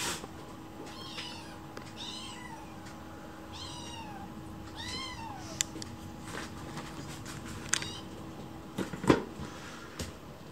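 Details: Angry rescued kitten with a broad forehead, in foster care, protesting indoors with repeated meows: five rising-falling nyaa calls about one per second, then scuffling and clicking noises against a steady electrical hum.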